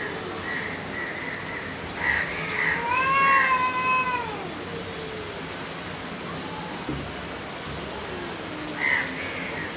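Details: Two aggressive cats, one giving a long drawn-out yowl that rises and falls around the middle, with fainter wavering meows before and after and a few short higher cries in the background.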